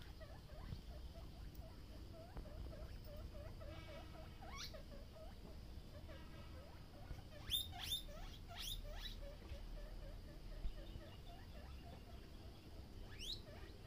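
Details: Guinea pigs at Uttara Ganobhaban Mini Zoo, Natore, Bangladesh, a herd grown from three animals; rapid chains of short squeaks joined by loud, sharply rising whistled wheeks around the middle and near the end, over a low background hum.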